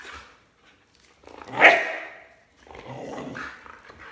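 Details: Border Collie barking at its owner jumping rope; a single sharp bark followed by rougher growly vocal noise and scuffling sounds.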